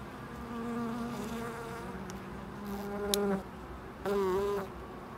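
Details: Buzzing bees around a loading dock, individual flights sweeping close with pitch rising and dipping as they pass, two louder fly-bys in the second half over a low background hum.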